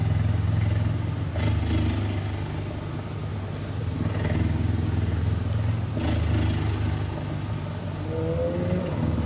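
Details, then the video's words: Continuous low rumbling purr from a cuddling cheetah, fairly even in loudness, with brief scratchy bursts about every four to five seconds. "Cheetah Cuddling & Purring"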